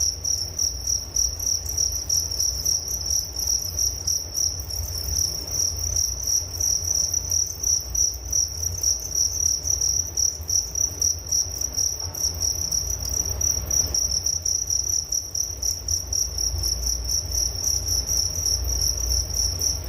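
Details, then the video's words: Crickets chirping for relaxation and sleep: a dense, steady high trill around a single pitch with rapid pulses throughout, fainter higher chirps layered above, and a low rumbling hum underneath. "Relaksasi Suara Jangkrik Penghantar tidur || Nature Sound of Crickets"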